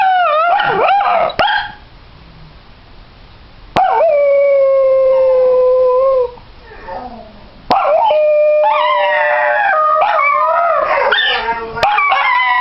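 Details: Dachshunds in a house giving a spontaneous howl, started as the owner got off a call, with another dog howling from another room: long, steady, tonal howls lasting several seconds, then overlapping wavering howls rising and falling together.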